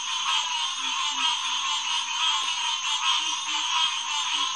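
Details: A June 2, 2021 night chorus of green tree frogs, Hyla cinerea, at Headquarters Pond, SMNWR, around 9:10 pm. Busy, rhythmic honking fills the air, with short low grunts repeating underneath.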